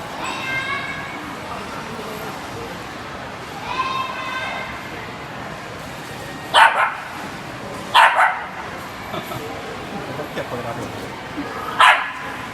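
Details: Tamayo, a two-year-old female Shiba Inu, plays at an indoor dog run on her first visit on a rainy day. Human voices fill the first seconds, then three sharp barks come at irregular intervals over a murmuring background.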